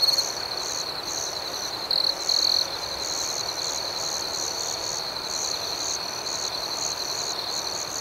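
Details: Crickets at night in a steady high-pitched chorus: a constant shrill trill beneath softer pulsed chirps that repeat several times a second, with one louder, closer burst near the two-second mark.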